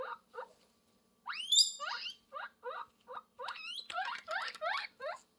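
A guinea pig gives a string of shrill, rising squeaks as a mating call.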